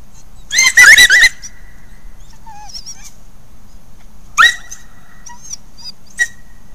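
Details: Resident coyotes interacting at Hallam Lake nature preserve, picked up by a trail camera: a loud burst of wavering, high yipping howls, a short pause, then another sharp yelp and a brief final squeak over quiet background.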